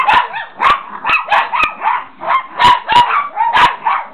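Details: Excited Chihuahuas, more than one dog, giving rapid shrill yaps and yips in a near-continuous overlapping chorus with brief whimpering tones between barks.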